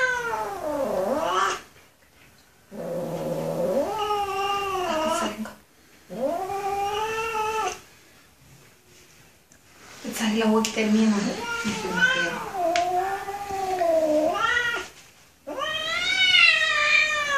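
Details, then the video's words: Angry kitten yowling in a series of drawn-out, wavering caterwauls, some dipping then rising, broken by short silences; low rough undertones in places, recorded indoors. "Angry Kitten Meowing Loud"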